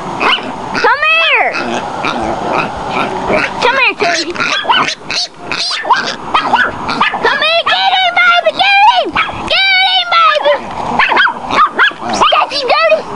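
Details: A Chihuahua named Tootie keeps a baby wild boar at bay, giving high, ringing yelps and yaps that rise and fall in arcs, clustered in busy runs with brief pauses and some background voices.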